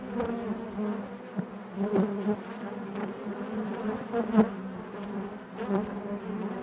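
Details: Continuous hum of honey bees within a hive, a dense low drone rich in overtones, broken by scattered short taps and thumps, with the buzz rising and falling slightly in loudness over several seconds.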